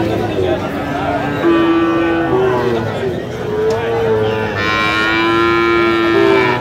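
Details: Sahiwal bull calf at a busy cattle market in Sirajganj, Bangladesh, 5 August 2025: long, steady, tonal moos, one drawn out over several seconds, with a shorter rising low near the end, amid bargaining voices and market chatter.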